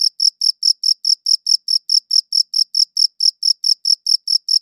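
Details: Cricket chirping, one insect shown, recorded as high-quality WAV; bright high-pitched pulses repeated steadily about every 0.2 seconds, clean and continuous against a silent background with no other sounds.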